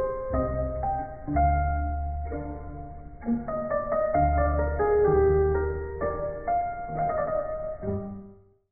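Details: Solo piano music with a steady melody over low chords, no animal sounds heard.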